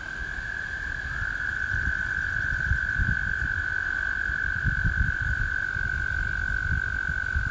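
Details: American toads in spring: a long, steady, high musical trill holds unbroken through the whole stretch, with a second overlapping trill joining briefly; low rumbling background noise underneath.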